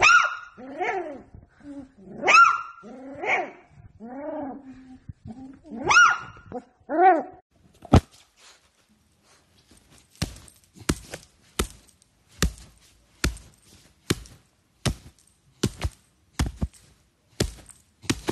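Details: Beagle puppy in a compilation of funny, cute beagle puppies, giving a run of high, wavering howling yelps with rising and falling pitch over the first seven seconds, followed by a series of sharp clicks and taps.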